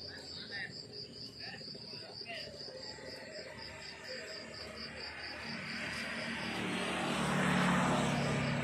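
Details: Crickets chirp in the countryside in the morning in steady, high-pitched pulses, about four per second, as an aircraft drone swells behind them.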